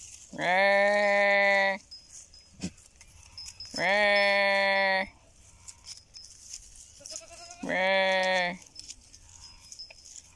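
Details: Goat bleating three times, each loud, harmonically rich, steady, drawn-out call lasting over a second and spaced about four seconds apart, with quiet rustles between calls.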